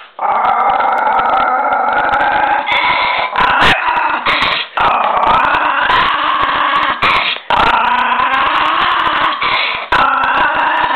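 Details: Fierce miniature pinscher snarling almost without pause: a loud, raspy, steady growl with strong harmonics, broken by short breaths and scattered sharp clicks or knocks.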